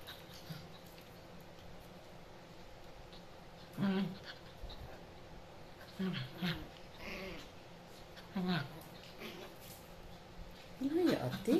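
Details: Chihuahua puppy play-fighting with a Japanese dog indoors, giving repeated short whining yelps about every two seconds, louder and wavering toward the end, with soft scuffling between.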